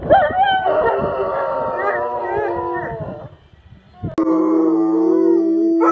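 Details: Bloodhound howl, a wavering, drawn-out, harmonic-rich cry lasting about three seconds, fading out, followed by a sharp click and a steady flat tone.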